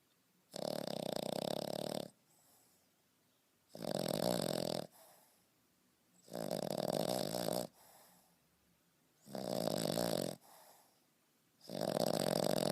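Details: A 5.5-month-old French Bulldog snores heavily. Five coarse, vibrating snores, each lasting one to one and a half seconds, come at steady intervals of about two to three seconds, separated by faint wheezy breaths.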